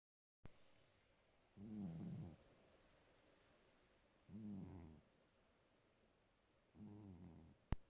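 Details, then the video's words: A sleeping pet cat snoring: three low, rasping, breathy snores, each about half a second to a second long, spaced roughly every two and a half seconds, with quiet room tone between them and a sharp click at the end. "ma copiiiiiiine ronfle"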